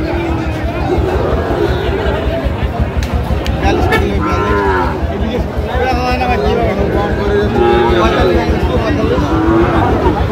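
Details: Crowded livestock market with a Sahiwal breed bull: repeated low, wavering moos surface through constant hubbub of people talking, a few longer sustained bellows in the second half, vehicle noise and faint music in the background.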